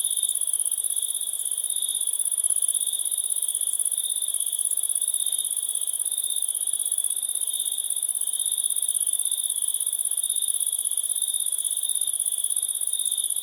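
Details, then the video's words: Crickets trilling continuously at an even loudness, a rapid pulsing sheet of sound with a very high sizzling layer and a lower piercing tone, nothing else heard. "Cricket 1"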